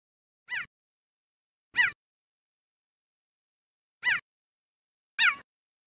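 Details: Cheetahs in their natural savannah habitat: four brief, bright chirps, each sweeping downward with layered overtones, spaced one to two seconds apart with silence between.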